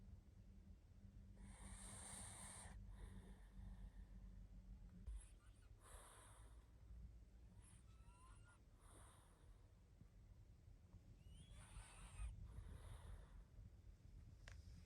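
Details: Barney the pug, exhausted and sleeping, snores repeatedly: several rough, airy snorts spaced a few seconds apart, some with faint whistling squeaks, over a low hum.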